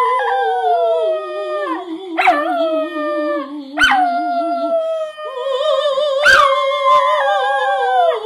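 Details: Female miniature schnauzer singing along with a person: long sustained wavering howls that slide and hold, broken by sharp rising yelps at roughly 2, 4 and 6 seconds, voices overlapping in a tuneful duet.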